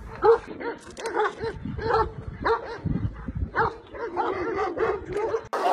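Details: Flock-protecting Kangal dogs of nomadic shepherds bark in short, hoarse bursts every half second or so, somewhat irregular, against rustling noise and faint music.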